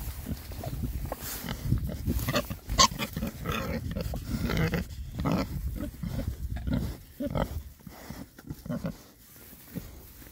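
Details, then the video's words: Oxford Sandy and Black pigs, a group of six boars of this rare breed, on a winter forage between storms; deep repeated grunts and oinks, roughly one and a half per second, over steady rooting and crunching. "rare breed Oxford Sandy and Black, happy pigs, winter forage. 6 boys. ASMR oinks."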